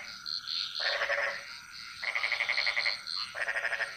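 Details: Bali jungle frog chorus with rapid pulsed rattling croaks, each burst under a second, three bursts in four seconds, layered over continuous high chirps from more frogs.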